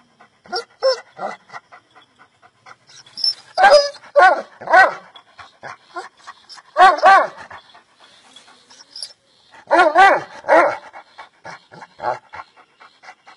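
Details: Bully Kutta dog giving clusters of loud, rough barks roughly every three seconds, with quieter breathy sounds and faint human talk in between.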